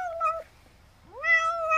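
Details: An old, weak, possibly sick stray cat at a rural house, barely able to open its eyes, gives two drawn-out harmonic meows, the second rising then holding steady, begging for more churu treats after eating.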